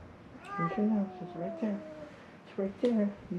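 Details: Three feral cats at Mare Island Naval Shipyard in Vallejo, California, crying for food: short repeated meows overlapping a person's soft talking voice.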